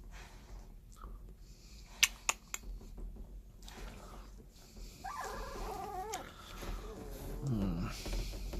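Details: Seventeen-day-old puppies that have just opened their eyes, kept indoors; after several knocks and clicks, a thin, quavering squeal wobbles up and down for about a second, followed by softer low whines over a quiet room hum.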